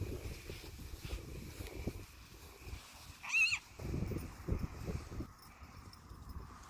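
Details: Friesian horses, mares with fillies including a two-week-old filly, turned outside together for the first time in spring, 30 March 2019; a single brief, high quavering whinny rises over low hoof thuds and shuffling movement.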